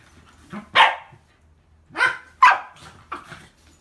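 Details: Pembroke Welsh Corgi sisters Hina and Seri play-wrestling indoors right after arriving at an inn; Hina is a lively female born 8 July 2015. Four sharp, bright barks in about four seconds, irregularly spaced, the second and third closest together, in a quiet room.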